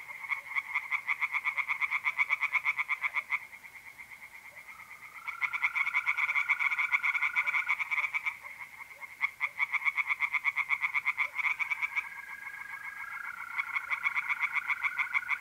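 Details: In north-east Italy on a mid-April night, pond tree frogs keep up long stretches of rapid, harsh pulsed croaking with brief lulls, and the smooth, steady trill of mole crickets fills the pauses.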